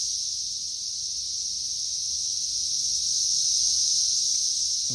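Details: Periodical cicadas swarming a tree in May 2024, third week of emergence: a loud unbroken high-pitched buzzing chorus, slowly growing stronger, with a brief low noise right at the close.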